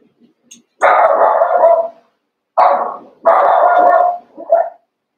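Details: Cavalier King Charles Spaniel puppies, eight pups after Daisy's six were merged with Robin's two, during play. Three long, drawn-out yelping barks with a short fourth one at the end, separated by brief silences.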